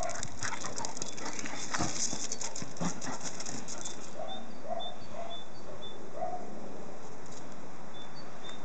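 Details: Eight-week-old English Cocker Spaniel puppies play with their mother, giving short, mid-pitched yips and whines after a stretch of scuffling noise; English Cocker Spaniel.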